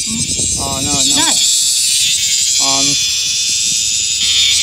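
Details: Bear cicada, a male and a female, giving a steady, high, hissing buzz that runs unbroken throughout, while a human voice speaks short phrases over it in the opening seconds and again near the middle.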